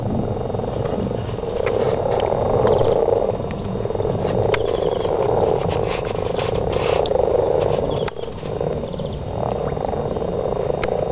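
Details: Mating frogs calling in a garden, a dense continuous croaking chorus with pulsed rattling notes overlapping, fading slightly after eight seconds, faint high chirps above.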